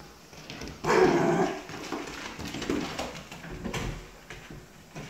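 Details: Pet dogs indoors after bath time, a golden doodle puppy and a corgi yorkie mix, one named Murphy, give one loud bark-like burst followed by softer whimpering noises in a small room.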